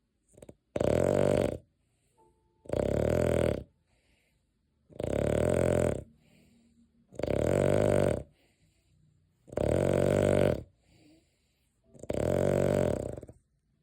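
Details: A pet dog named Deokgu, asleep indoors, gives six deep, rough, buzzing snores at a steady pace of roughly one every two seconds, each lasting under a second, with quiet breathing in the gaps.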